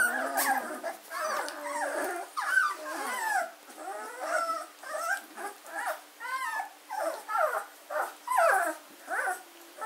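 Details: Litter of German Shorthaired Pointer puppies aged 14 days, Katelands gundogs, 24 August 2016: continuous chorus of thin, wavering squeals and whines from several pups, bursts tumbling over one another with brief pauses.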